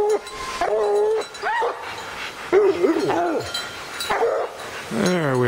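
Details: Young hound Lillie and packmates Dynomite and Sadie barking at the tree on an evening hunt among big pines; bawling howls and sharp barks with wavering, drawn-out notes, people's voices mixed in.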